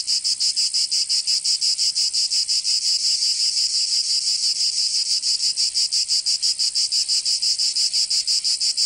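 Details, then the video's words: Cicadas in a Provençal summer, southern France. A loud, piercing buzz is chopped into steady, fast beats of about three per second and holds constant from start to end. "Canto Cigarra"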